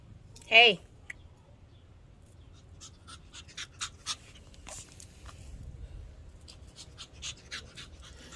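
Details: Toby, a small Shih Tzu, gives one sharp, high whine that slides downward near the start. Soft scattered clicks and light scuffling noises follow through the rest of the recording.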